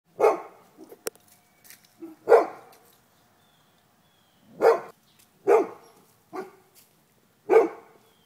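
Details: Neighbour's dogs taunting another dog across a stockade fence, digging under it: sharp, single barks spaced one to three seconds apart, fairly distant and slightly echoing, with short gaps of quiet between.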